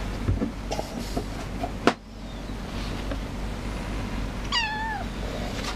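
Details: Shy pet cat hiding and coming out meowing for cuddles; one clear, drawn-out meow that wavers and falls near the end, after a sharp click and steady low rumble.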